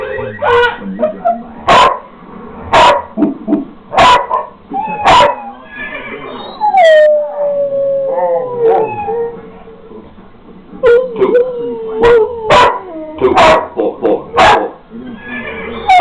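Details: Pet dogs howling and whining in reaction to electric drums being played, a sustained wavering howl sliding downward across the middle, mixed with sharp repeated drum hits throughout and short yelping calls between beats.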